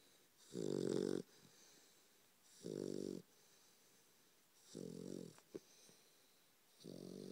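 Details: Bullmastiff puppy named Roo, twelve weeks old, asleep and snoring: four rough, rasping snores, each about half a second long, coming roughly every two seconds in a quiet room.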